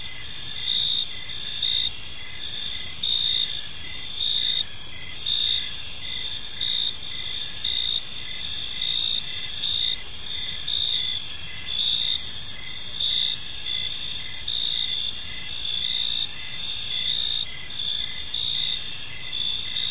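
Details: Evening park ambience of many crickets, high continuous ringing bands overlaid with regular short chirps about once a second, steady throughout with soft low rumble beneath.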